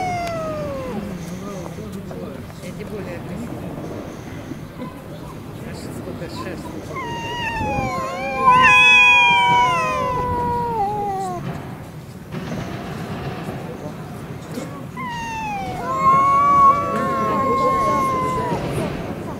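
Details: Stray cats fighting in a Russian city: after a quiet stretch, two bouts of sliding, wavering yowls of a few seconds each, over a steady low hum with faint background noise.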